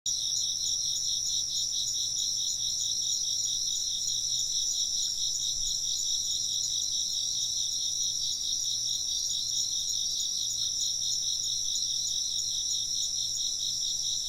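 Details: Chorus of chirping insects: a dense, steady high trill with fast pulsing in its lower band and a continuous shrill tone above, unbroken for the whole stretch, with a faint low hum underneath.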